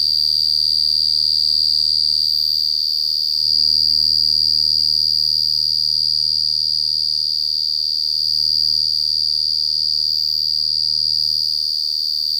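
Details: A cricket keeps up a sustained, loud, clear and very high trill, evenly pulsed throughout, briefly rising in loudness around the middle, with a quiet background and no other callers.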